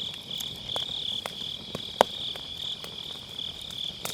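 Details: Autumn night grass insects singing beside a campfire in a round fire pit, MKE600 microphone with low cut; a high continuous shrill chorus, slightly wavering, over repeated crisp crackles and snaps of burning firewood.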